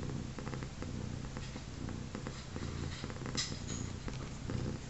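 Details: Three-legged domestic mother cat with her three newborn kittens, one day after birth, indoors; a steady, soft, low rumbling purr runs throughout, with faint rustling and small clicks.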